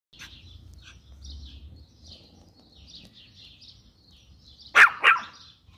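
A Pinscher gives two sharp, high barks in quick succession while small birds chirp faintly.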